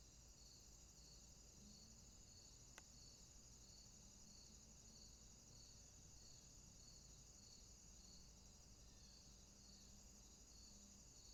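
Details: Night swamp with crickets: a continuous high-pitched trill and an evenly pulsing lower chirp throughout, a single sharp click near the three-second mark, and faint low droning tones drifting in and out beneath.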